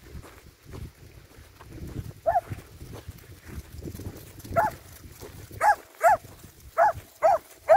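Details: Finnish Lapphund barking after a quiet stretch of low rumbling background noise. Isolated barks start around two seconds in, then a quicker burst of six or seven clipped, ringing barks comes in the final three seconds.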